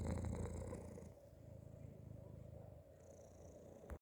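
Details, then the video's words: A cat inside a hoodie purrs loudly and deeply for the first second, then settles into a softer, even, pulsing rumble until a sharp rustle at the end. "strange cat noises happening inside my hoodie"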